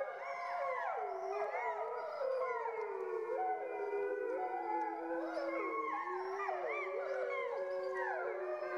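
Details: Chorus of grey wolves in France, howling together: many drawn-out tonal voices overlap, each wavering and bending in pitch with short rising and falling slurs, steady and sustained throughout.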